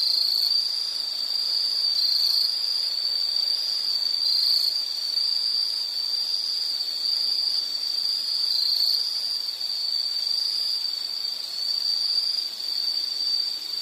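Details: Continuous high insect trill played as soothing nature background, a sustained shrill buzz at a single pitch with slight wavering, plus faint higher tones and light hiss throughout.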